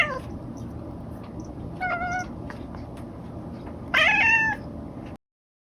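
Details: Kotetsu, a pet cat at home, gives a soft, short meow, then after a pause a louder, brighter meow that rises and then falls. Steady background hiss runs under both.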